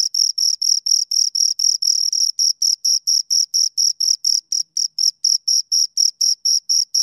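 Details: Two crickets chirping, a high, bright pulsed trill of short rhythmic chirps, about four per second, with one brief blurred stretch where the pulses run together; no other sounds.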